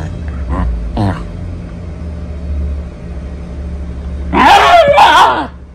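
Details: Two Shiba Inu dogs give two short yelps, then a loud, wavering, drawn-out yowling cry, over music.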